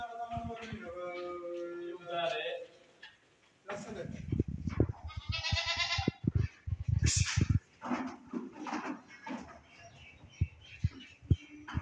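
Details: Saanen goats in Swat, Pakistan: wavering, harmonic bleats in the first two seconds and another nasal bleat near the sixth second, with people talking in Spanish and sharp knocks and thumps throughout.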